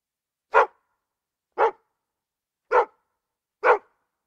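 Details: Dog barking in four short, sharp, evenly spaced barks about one second apart, each a loud burst with clean silence between them and no other sounds.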